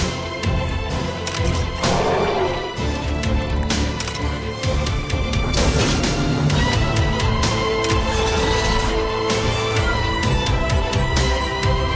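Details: Loud energetic music with heavy percussion and crashes throughout, no animal voice.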